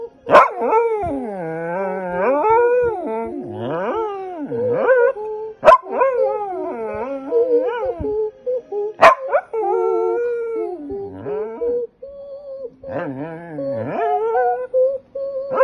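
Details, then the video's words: Singing along with its owner, the dog Pitsai gives a long run of warbling howls that swoop up and down, broken by brief sharp yelps and short pauses. "Singing Dog pitsai"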